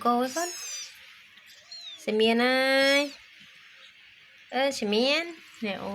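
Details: Mother cat playing with her kittens indoors; three drawn-out, harmonic meows, the middle one about a second long and steady, the last rising then falling, with quiet human talk in between.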